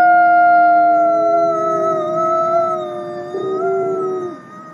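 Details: Captive-born gray wolf Nikai at the Wolf Conservation Center in South Salem, New York, gives a smooth, drawn-out howl with overlapping tones that barely shift in pitch, a brief upward step near the end, then fading.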